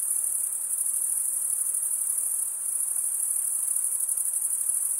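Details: Chirping of male crickets, made by running one wing across the comb-like teeth of the other, forms a continuous shrill buzz with a faint pulsing texture and no other clear sounds.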